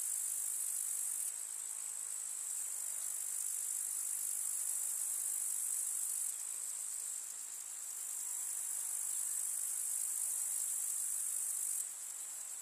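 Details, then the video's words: A summer village meadow full of grasshoppers: a continuous high, hissing stridulation whose intensity steps up and down several times, fading around six seconds and eight seconds and again at the end, with no other sounds. "КУЗНЕЧИКИ. Слушать звуки летнего луга"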